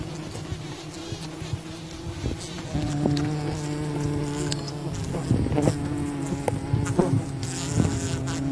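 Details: Honey hunting at a wild bee colony: a rich buzzing drone that grows louder and more tonal after three seconds, punctuated by irregular knocks and cracks.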